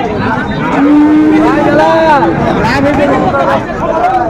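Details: Sahiwal bull calf at a cattle market in Chattogram, Bangladesh, giving a drawn-out, level moo that bends upward at its end, with a shorter second low call after it, amid constant crowd chatter and bargaining voices.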